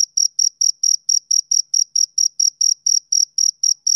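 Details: Rhythmic chirps of a male cricket on summer evenings, evenly spaced high trills pulsing about four times per second, bright and tonal, over complete silence.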